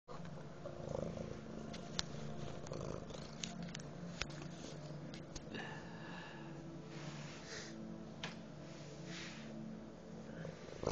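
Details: Male domestic cat that fetches sticks and small objects, purring steadily as a low, rough, continuous rumble under faint background noise and a few soft clicks.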